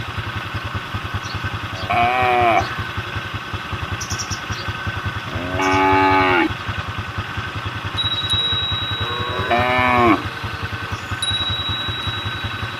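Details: Roadside cattle calling the herd, three bright harmonic moos about four seconds apart, each brief and bowed in pitch, with a rhythmic engine rumble running throughout.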